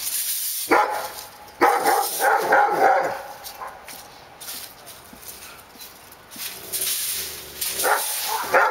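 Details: Several dogs barking near a park drive, sharp broadband barks in bursts around one and two seconds and again near eight seconds, with steady background hiss and traffic-like noise between.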